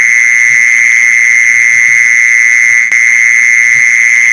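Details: Mole cricket sound played to lure mole crickets: a steady, unbroken high buzzing trill at an even loudness, with a single brief click near the end and faint low thumps underneath.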